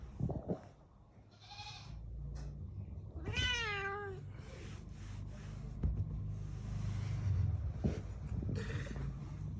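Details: Angry domestic cat giving one drawn-out, wavering meow that slides downward in pitch over about a second, surrounded by rustling, handling noises and a person speaking Bengali nearby.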